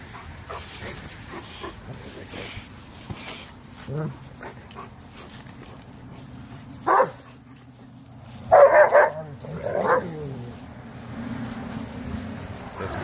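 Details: Renascence Bulldogge puppies Rekkr and Magi playing with a Blue Bay Shepherd and a German Shepherd on Thanksgiving Day 2018; a few sharp barks around seven and nine seconds over low rumbling play noise and scuffling.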